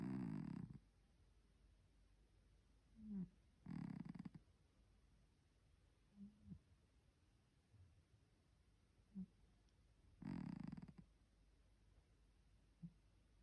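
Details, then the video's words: Three-legged pet cat snoring while asleep indoors: low, raspy snores in bursts under one second long, spaced a few seconds apart, with faint shorter snorts between them in a quiet room. "코고는 고양이 복만 Roncando gato"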